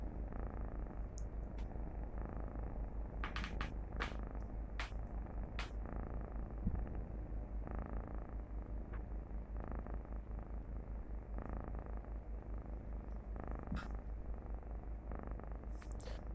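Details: Domestic cat purring, recorded by its owner and played back beneath a calming meditation, the purr said to signal contentment and peace: a steady, soft, low rumbling drone running without break, with a few faint clicks over it.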